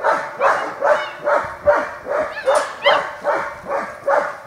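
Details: German Shepherd puppies playing with an older puppy in Washington: an even run of barks at about two per second, with one brief higher yelp midway.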